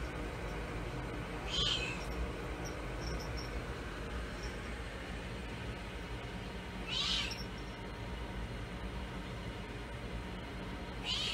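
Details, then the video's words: Munchkin cat at home asking her owner, who is cooking, to play with her; three short, bright meows spaced several seconds apart over a steady loud hum of kitchen noise. "A cat wants her owner to play with her."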